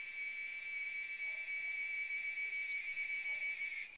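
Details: Steady, piercing cicada drone from up in a tree in the RGV, holding one high note with slight wavering loudness until it cuts off abruptly at the end.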